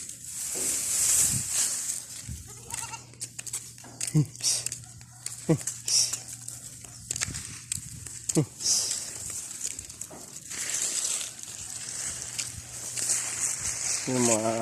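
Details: Domestic goats kept by their owner on a hot day, giving short harsh bleats scattered through the recording and a longer harmonic bleat near the end, mixed with a man talking in Filipino and steady background hiss.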